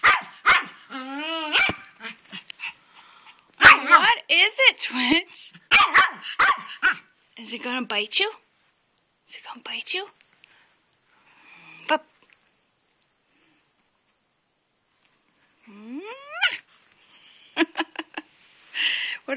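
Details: A male pet dog in a flower bed on a rainy day, barking and jumping back and forth at an old rock as if it were alive. Sharp barks come in short bursts, with whiny rising tones between them, while a man talks over it.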